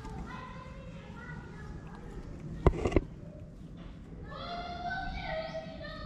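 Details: Hidden kittens in a shady place in Morocco cry in bursts of high, drawn-out mews, a pair early and a longer cluster near the end, broken by a couple of sharp knocks and low street rumble.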